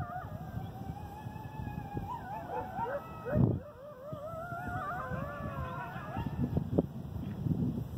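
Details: Several coyotes, recorded 11 August 2018 (or 8 November), howl together in wavering, sliding tones broken by high yips.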